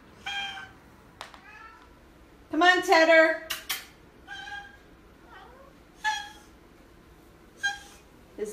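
An Oriental Shorthair cat gives short, nasal, honking calls in place of a meow while a woman talks to it.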